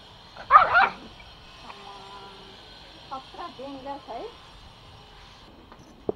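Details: Angry and attacking, Pomo, a male toy Pomeranian pet born April 2017 living in Kathmandu, Nepal, lets out one loud harsh bark, followed by soft wavering whine-like notes and a click at the end.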